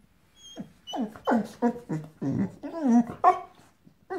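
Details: Female Boxer/Boxador puppy, five months old, vocalizing at her new pink pig toy indoors: a rapid run of short, harmonic yelping growls and whiny barks, about three per second, rising and falling in pitch.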